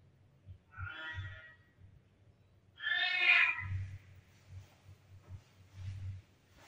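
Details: Kittens meowing a lot and from all directions: two clear, tonal, harmonic meows, the second longer and louder, over soft low thumping and rustling in the background.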